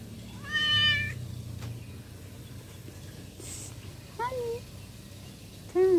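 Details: Cat giving several meows: a long arched meow near the start, then after a pause two short rising-falling mews close together at the end, with low background hum and a faint clatter.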